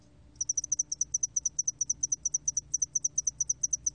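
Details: Spotted-wing hairy cricket (2020 recording, National Institute of Biological Resources, Korea) producing continuous evenly spaced high, tinkling pulses, frequently doubled, running without a break after a short quiet opening.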